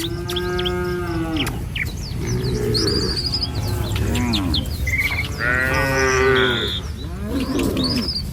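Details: {'caption': 'Tame village cattle walk in a herd along a rural road one morning, heading to a feeding field. Several overlapping low moos, some long and some brief, from different animals. Frequent bird chirps and whistles in the background.'}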